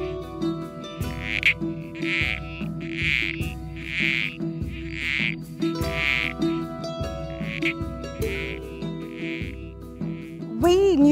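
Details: Captive male Critically Endangered Southern Corroboree Frogs at Healesville Sanctuary in breeding season give short, grating squelch calls to attract females, repeated about once a second, over soft music.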